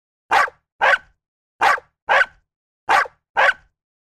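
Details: Domestic dog barking: six short, harsh, loud barks delivered in three evenly spaced pairs, the two barks of each pair about half a second apart, with clean silence between and no other sounds.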